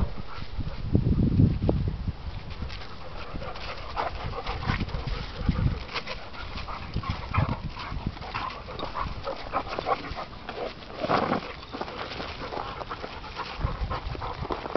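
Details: English Pointer and German Shorthaired Pointer in a fight, heard as harsh, low, snarling bursts with panting and scuffling between them, irregular and recurring every second or two.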